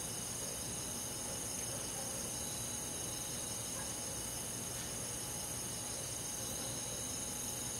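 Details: Summer-night insect chorus in a countryside forest, with crickets named: an unbroken, even, high-pitched shimmer of overlapping trills with no clear breaks and no other sounds.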